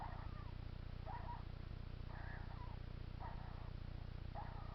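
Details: Pet hedgehog making noises that worry its owner: short breathy bursts repeat about once a second against a constant low droning hum.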